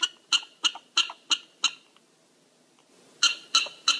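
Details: Prairie dogs calling in short sharp barks, about three per second, a run of six, a pause, then three more; each bark harmonic and high, with no other clear sounds.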